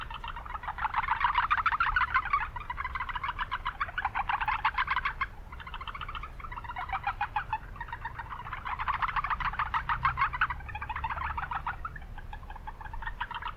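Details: In a marshy spot in the city, several Japanese brown frogs give rapid trains of pulsed notes. The trains come in bouts separated by brief gaps, over constant low traffic-like noise.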